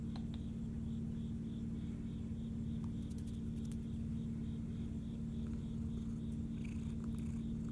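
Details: Eva, a relaxed Siamese cat resting just after eating, purring in a steady low continuous drone throughout, with a regular cricket chirp pulsing faintly higher above it and a few small clicks.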